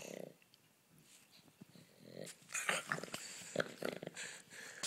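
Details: Playful pug dog growling during play indoors; a short low growl opens, then after a quiet pause come bursts of snorting, rasping growls and scuffling, chewing-like noises.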